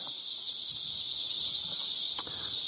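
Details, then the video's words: Cicadas give a steady, unbroken high-pitched buzz among huge cottonwoods in the Las Cienegas National Conservation Area off Empire Ranch Road, in the morning, with cows heard in the distance. "what you hear are cicadas"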